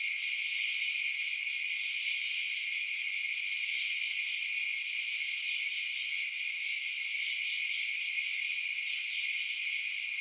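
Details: Crickets chirp through the night in a thick, constant, high-pitched trilling chorus that holds level for the whole stretch, free of wind, voices or other animals.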